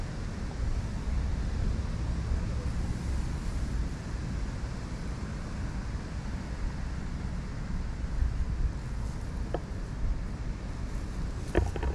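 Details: Outdoor wind rumble buffets the microphone, with only a few faint clicks and no animal call heard.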